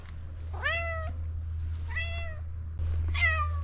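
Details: Pom pom, a street cat, constantly meowing and insistently asking for food: three clear meows, each rising then falling, spaced about a second apart, over a constant low rumble.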